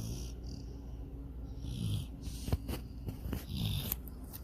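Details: Sydney, a dog, snores softly while dreaming of chasing a rabbit and swimming in a lake; low rumbling breaths swell twice amid a steady hiss, with a few faint clicks and rustles.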